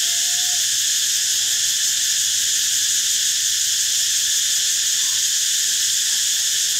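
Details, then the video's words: Cicada chorus as a continuous, hissing, high buzz that never breaks or changes pitch across nearly seven seconds, layered in several bright bands, with only a faint brief whistle low in the background near the start. "เสียงจักจั่น Cicada sound"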